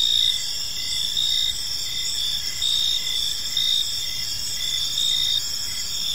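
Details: Crickets at evening in a park give a bright, continuous shrill chirping, several overlapping callers with brief louder pulses about every second, over a soft low rumble of background sound.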